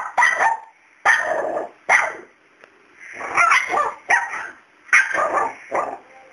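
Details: A male dog barking at Miracle, a fearless cat who is not scared of him: seven sharp, rough barks in quick uneven bursts, some doubled, with short silent gaps between.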